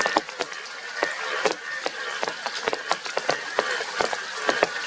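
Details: Yellow Indian bullfrogs with blue cheeks call in a chorus of short, harsh, honking croaks that overlap irregularly.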